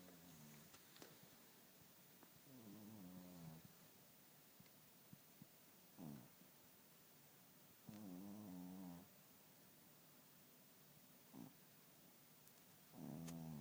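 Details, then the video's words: Richard the cat snoring heavily while asleep indoors: low, rasping harmonic snores about a second long, recurring every two to three seconds, with faint short snorts between them and a quiet room background. "Кот Ричард храпит не по-детски!"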